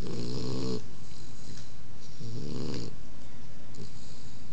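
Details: Puppy Odin snoring in his sleep: a harsh rattling snore at the start, a second about two seconds later, then a faint short breath, with soft background hiss.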